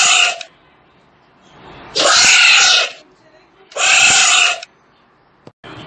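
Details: Tapir call: loud, shrill, breathy squeals of about one second each, repeated roughly every two seconds, with quiet gaps between.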